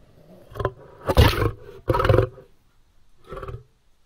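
A lion gives deep, rough roaring bursts, the loudest two back to back, then a softer grunt.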